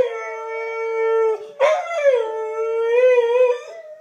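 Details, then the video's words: Howling on a daily webcam call with his faraway owner in Missouri, pet dog Diablo holds a long, level, pure note, breaks briefly, then resumes with a slight wavering tremble; iPhone 4s recording. "Dog and owner howling on webcam"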